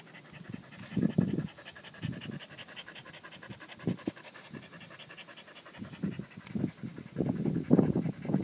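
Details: Pungsan dog panting in quick, uneven bursts of low, breathy huffs, some grouped in rapid runs and others spaced by short pauses, growing louder and denser toward the end.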